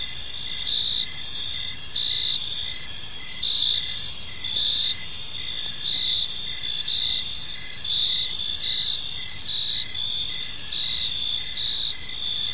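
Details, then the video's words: Evening park ambience of crickets: a steady high-pitched shimmering trill overlaid by rhythmic short chirps roughly twice a second, several insects calling together, nothing else prominent. "Park Serenade: Cricket Sounds in a Peaceful Park | Evening Ambience"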